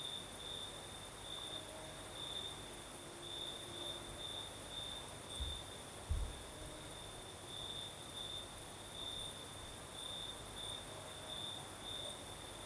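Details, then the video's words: Crimean night crickets keep up a continuous high pulsing trill while a gentle night breeze hisses, with a couple of low thumps near the middle. "Звук ночи. Юг. Крым. Сверчки поют."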